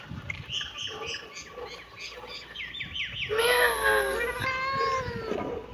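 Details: Several kittens calling together. Quick, short chirping mews come in a rapid, uneven series, then give way to longer, overlapping wavering meows.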